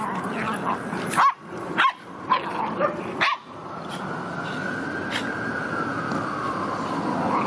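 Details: Boston Terrier at a dog park in autumn, September 2015, giving about five sharp barks in quick succession in the first few seconds. Then a steady wash of park background noise continues with a faint drawn-out tonal whine.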